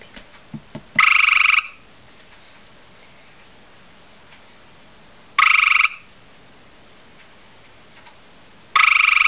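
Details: Male gray tree frog calling to a female, loud musical trills under a second long, repeated every four to five seconds over a quiet background, a few faint clicks before the first trill.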